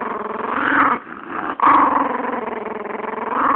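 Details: A female chihuahua growls continuously to guard her bone from a person trying to take it; a loud, rough, pulsing growl with a short break near one second, swelling again afterward.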